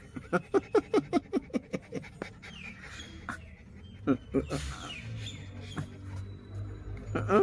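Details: A pet dog named TiTi panting in quick, breathy bursts, about ten short pulses in the first two seconds, then quieter, irregular breaths under a background of Spanish speech and faint music.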